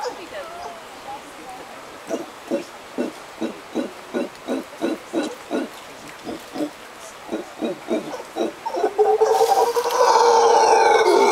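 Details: Costa Rican howler monkeys calling at sunset: a long run of low, raspy grunts repeated rhythmically, about three each second, before a loud, clear whistled tone with harmonics cuts in near the end.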